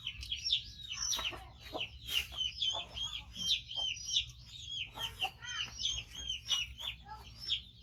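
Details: Five-month-old male baby monkey, rescued from a hunter and missing one foot, calling loudly while waiting to be fed: rapid, dense series of high, shrill chirping squeaks, nearly continuous and uneven in rhythm.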